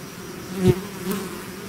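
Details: Out of its hive, a bee swarm drones on steadily while one bee sweeps close past, its buzz swelling sharply and then fading within a fraction of a second.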